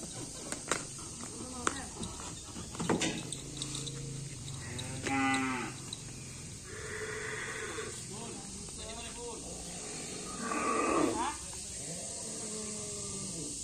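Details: A Madurese karapan sapi racing bull, moved from one racing team to another, settling into its new pen: a few drawn-out lowing calls spread over thirteen seconds, mixed with people chatting, knocks and rustling.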